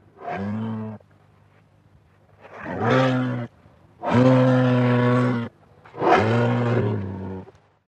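A moose gives four deep, drawn-out moaning calls, each lasting about a second with brief pauses.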